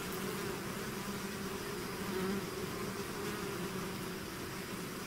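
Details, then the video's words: Dense bee swarm emerging from a hive, heard as a constant low buzzing drone with a brief swell in loudness midway. "bees therapy swarm natural buzzing sound"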